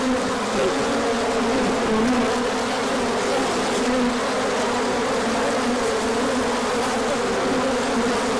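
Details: Bees pouring out for a big orientation flight when the sun came out after a colder stretch, 24 March 2024; steady, loud swarm hum, layered droning wingbeats with faint rising and falling tones.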